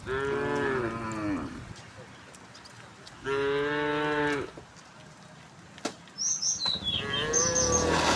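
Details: Tame cows herded home to the pen through a village in the afternoon, mooing: a long harmonic moo near the start, a second steady moo at about three seconds, then a faint moo and high bird chirps near the end.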